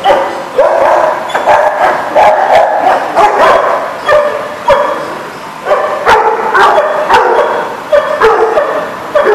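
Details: Dogs at a kennel lot on 21 June 2019, a loud, continuous chorus of overlapping barks and yelps from several dogs, with short sharp bursts every second or so and no pauses.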